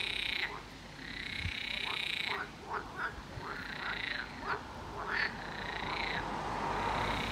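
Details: A chorus of toads at a lake in the Gershony district of Brest gives mating calls, long, steady, purring trills that overlap almost without pause, with a few shorter bursts breaking through; the calls go on for two months and are loudest at night.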